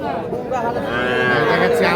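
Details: Cattle lowing at Ambari cattle market in Parbatipur, Dinajpur, where small bulls and heifer calves are sold; a long harmonic moo rises and holds over a steady murmur of crowd chatter.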